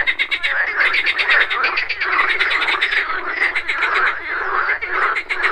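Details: Pond frogs croaking in the morning, overlapping trains of fast ticking pulses with some brighter high-pitched clicks, forming a steady dense chorus that barely pauses, with insects buzzing behind.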